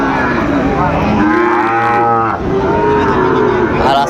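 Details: Bull calves of the Sahiwal breed at the Amabari market in Dinajpur, Bangladesh, on 12 September 2025. Two mooing calls swell and sag in pitch, the second longer and flatter, amid loud, busy market voices.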